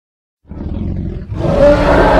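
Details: Congo hippopotamus starting with a gruff, low grumble, then swelling after about a second into a louder, rough roar that is still building as the sound ends.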